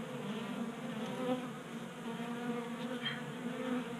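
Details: Honey bees active in winter warmth, feeding from a 3D printed bee feeder in a Colorado garage in January; steady buzzing hum with wavering pitch as bees fly close and away.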